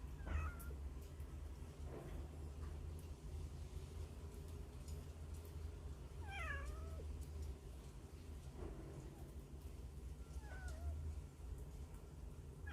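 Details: Hungry stray kittens crying from a hole; sparse mews with sliding, wavering pitch, a few seconds apart, over a constant low rumble.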